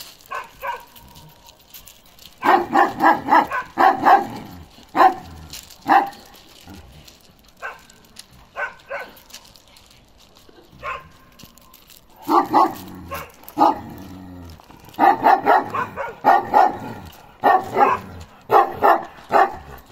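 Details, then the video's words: Young male Kangal Balyoz, 15 months old and karakırçıl-coated, barks in rapid bursts of several deep barks, separated by short quiet gaps, across twenty seconds; faint rustling in between. "Karakırçıl Balyoz 15 aylık oldu yavaş yavaş erkek olmaya başladı."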